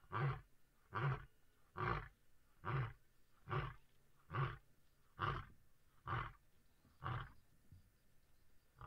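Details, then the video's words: A Busanga lion calling to signal territory or contact its pride: eleven deep, evenly spaced grunts, about one every 0.85 seconds, the last few fading in a quiet setting. "BUSANGA LION CALLING"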